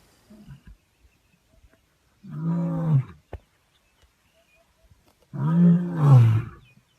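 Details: Lion roaring, two deep moaning roars with strong harmonics near 3 and 6 seconds, separated by quiet with a few faint clicks.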